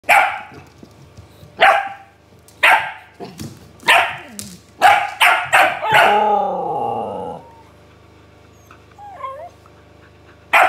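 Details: Siberian Husky talking back to a barking dog: sharp barks spaced about a second apart, then a longer wavering, falling harmonic whine-howl around the sixth second, followed by quiet and a final bark.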